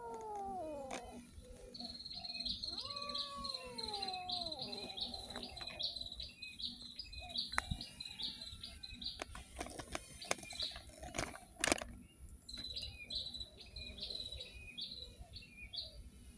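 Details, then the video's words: Street cat meowing with several drawn-out, wavering harmonic cries over the first few seconds, then quieter. Repeated high chirping birds run through most of the recording, with clicks and background hum. "the life of a street cats || cat lovers viral cat | meowing"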